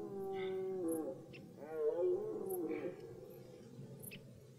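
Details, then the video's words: Red deer during the beginning of the rut in forest: a series of roars with rich harmonics, a sustained moan followed by a rising, wavering bellow that falls away into a lower groaning tail. "Die Hirschbrunft beginnt"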